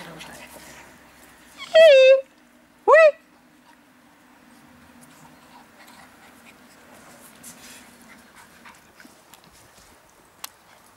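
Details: Lhasa Apso puppies from a co-operative breeding of Kennel von Tri-Song and Kennel Othangi's in Schleswig-Holstein, Germany: two loud high whining yelps with wavering, falling pitch, about a second apart, over faint background rustling.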